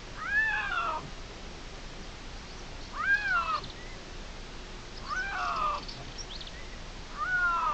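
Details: Young male Iberian lynx in dispersal, meowing to get noticed at Cerro Escribano, Spain, 16 June 2023, where two males claim the ground; four descending meows about two seconds apart, fainter, with steady background noise.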